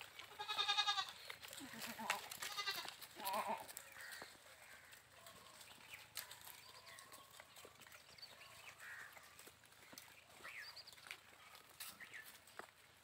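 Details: Goats playing; a few wavering, nasal bleats with rich harmonics in the first three and a half seconds, then a quieter stretch of faint background chirps and rustling.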